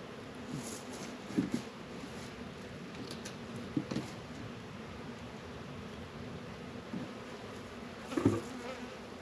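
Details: Honey bees working around an apiary's Warre and Langstroth hives on a 72-degree February day in northern Kentucky, a soft, low, steady humming drone broken by a few sharp knocks and taps.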